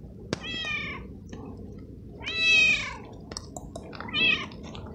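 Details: Stray male cat soaked in the rain, followed and fed kibble and treats, meowing often; three rising-falling harmonic meows within five seconds amid steady rain patter and small taps.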